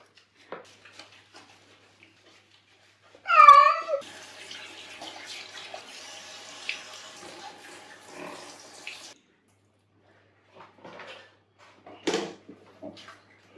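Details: Domestic cat at bath time in a bathtub gives one loud, drawn-out meow with a rich, wavering harmonic tone after several quiet seconds. Running tap water follows, with scattered splashes and a short sharp noise near the end.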